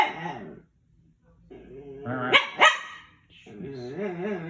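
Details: Pancho the dog whining in wavering, warbling harmonic moans, with two sharp bark-like yelps in the middle and a short silence between bursts.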